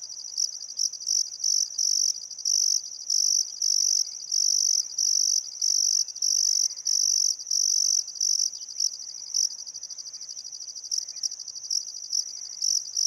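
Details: Summer-sunset crickets along the Barcoo River, Welford National Park, Outback Queensland, on a still afternoon: high rapid chirps in short regular bursts, quicker and choppier than a steady trill, fading slightly midway, faint birds behind.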